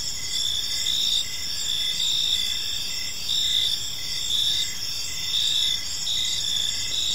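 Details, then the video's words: Crickets chirping in a peaceful park as evening unfolds: steady high-pitched trilling bands with pulsed chirps repeating roughly once a second, over a soft low background rumble. "Cricket Sounds in a Peaceful Park"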